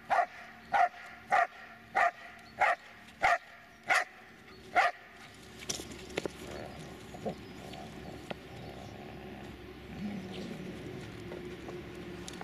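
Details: Dobermann Magmar Von Der Burgstätte barking: a run of nine sharp, evenly spaced barks about every two-thirds of a second, then quieter scattered sounds and faint background noise.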